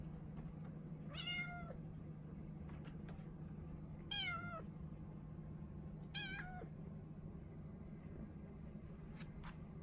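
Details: Four-month-old female Norwegian Forest Cat named Ren, caged and pleading to be let out while acting affectionate; three clear high meows, each arching then falling, about two seconds apart, over a steady low hum.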